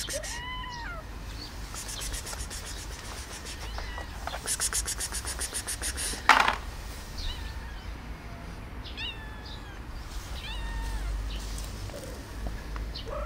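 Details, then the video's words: One cat meows while another cat hisses at it; a few short arched meows open and close the stretch, separated by a long noisy hiss and a sharp thump in the middle. "why do cats meowing and hisses"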